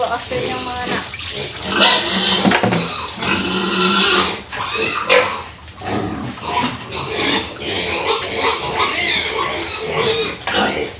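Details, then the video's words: A pregnant sow named Wander, bred five months earlier and 107 days from farrowing, being bathed; rough noisy grunts and short squeals come in bursts, mixed with a woman talking and a steady hiss throughout. "5months palang nung napabarakuhan ang aking inahing baboy"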